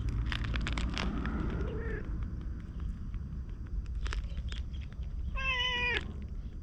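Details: Orange tabby neighbourhood stray, filmed with a GoPro, trailing after being petted and talking in cat language. A soft, rising chirp comes first, then a clear, level meow near the end. Footsteps and steady low rumble run throughout.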